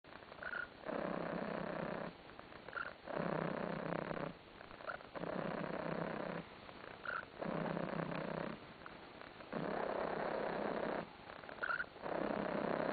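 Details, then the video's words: Contented cat lying on a sofa, purring steadily in long rumbling phrases about every two seconds. Short gaps for breath separate the phrases, and small squeaky chirps sometimes mark the start of a phrase. "Кот урчит и скрипит"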